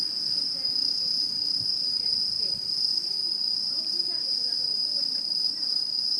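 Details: Autumn insect chorus in a 2016 satoyama landscape: an even, high ringing drone dominates, while faint low murmuring, possibly distant voices, drifts underneath.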